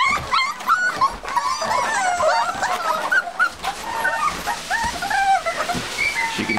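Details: Several seven-week-old Olde English Bulldogge puppies, friendly and following people everywhere, giving overlapping high whimpers and short yips in a rapid, chattering jumble, with some rustling.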